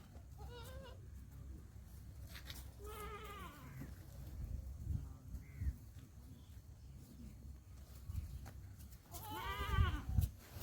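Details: Newborn Black Bengal goat kids bleating in short, wavering, nasal cries near the start, around three seconds and again near ten seconds, with a person speaking Bengali quietly in the background.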